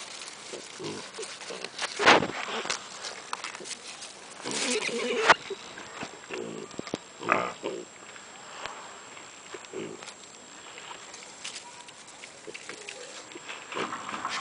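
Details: Piglets at a zoo making intermittent low grunts between sharp clattering and clicking noises, with scattered rustling throughout.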